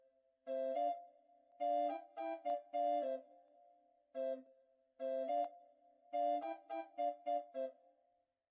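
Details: Electronic keyboard music plays in short chord bursts separated by brief pauses, with no animal sound heard.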